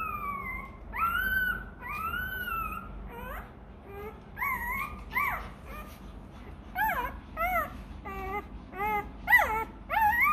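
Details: Hungry Rottweiler puppy demanding milk: a few long, wavering whines at first, then a quicker series of short, sharply bent yelping whimpers that speed up and intensify toward the end.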